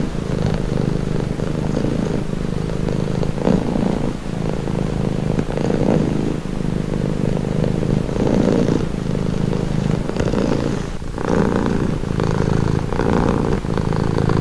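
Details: Low rhythmic rumbling of a purring cat, sustained throughout with breath-paced swells every second or so; a faint broad background hum sits beneath it.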